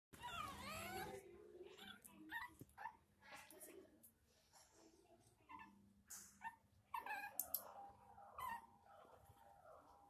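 A Shih Tzu puppy gives short, high whimpers and yelps in a small room, with a low hum behind.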